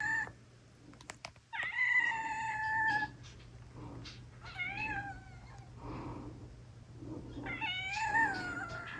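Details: A large-bodied cat with a cute voice meowing indoors. There are three drawn-out, tonal meows: the first is long and level, the second wavers, and the last rises then falls. A steady low hum runs underneath.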